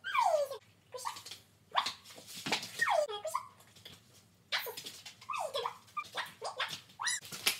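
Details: Two Border Collies doing tricks give a run of high, sliding whines and yelps, each sweeping downward in pitch, broken by short pauses and a few sharper clicks and taps.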